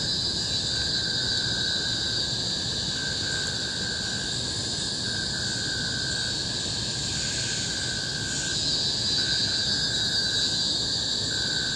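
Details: Deafening cicada chorus from Bukit Timah Hill's tropical forest in Singapore, 2017: continuous high-pitched shrilling in stacked bands, with a lower whistled tone that breaks off and restarts throughout.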